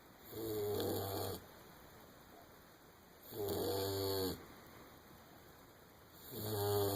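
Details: Asleep indoors, the English springer spaniel puppy Winston gives three drawn-out, buzzy snores, each about a second long and spaced about three seconds apart, with near silence between breaths.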